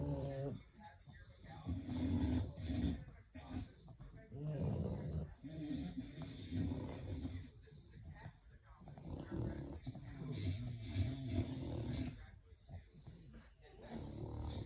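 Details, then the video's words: Sleeping English bulldogs give repeated low, rasping snores in irregular bursts every few seconds, rumbling and nasal, while people talk quietly nearby throughout. "Snoring Bullies"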